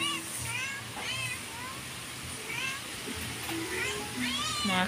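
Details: Pet cat meowing softly at home, several thin, rising-then-falling meows spread over a few seconds, with steady low hum and a person speaking quietly just before.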